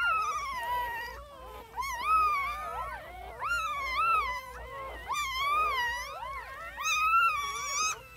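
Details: A litter of newborn puppies giving drawn-out, quavering whines that rise and fall, arriving in bursts roughly every second or two, with several pups crying at once over quiet background.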